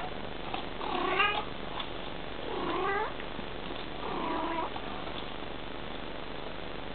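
A mother Bengal cat gives three drawn-out, rising-then-falling meows, calling to her kitten.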